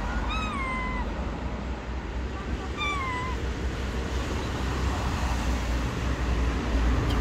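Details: Gray stray cat, blind in one eye, living on the street: two drawn-out meows that slide downward in pitch, the first longer and the second shorter about two seconds later, over a steady low rumble of street traffic.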